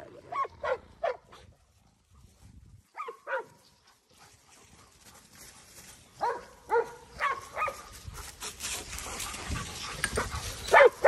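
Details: Two Giant Schnauzers, Garvey and Luther, fighting each other through a gate. Sharp, harmonic barks come in a quick burst of three, then a short pair after a pause, then a longer run of clustered barks over a noisy background.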